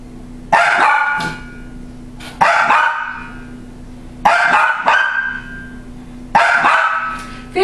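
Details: A female dog barks at a laughing, rolling motion-sensor toy: four loud, harsh double barks at a steady rhythm about every two seconds, with a low constant hum underneath.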